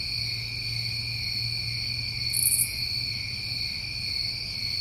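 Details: Crickets of a New England summer trill continuously in a shrill, even chorus, broken only by a short high rasping burst midway, with low hum in the background.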